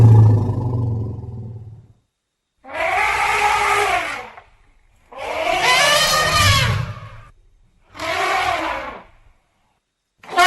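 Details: Elephants: a deep rumble at the start, then three loud, harsh roaring bursts, each about one and a half seconds long, rich in layered tones and separated by silence.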